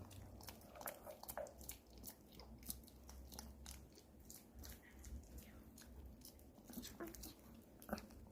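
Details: Pomeranian eating an apple indoors in a small room, with dense, crisp crunching bites repeated rapidly throughout, plus a low steady hum underneath.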